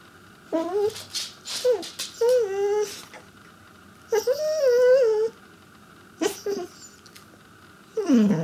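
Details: Pembroke Welsh Corgi seeking its owners' attention with high, wavering whines and yodel-like squeals, several rising-falling cries of a second or so separated by short gaps, faint steady hum behind.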